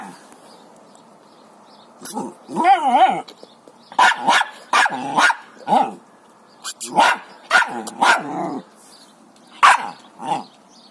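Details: Jack Russell Terrier, a small dog with a big bone, giving a series of short sharp barks in bursts, some yelping and wavering, with pauses between and a brief voice near the end.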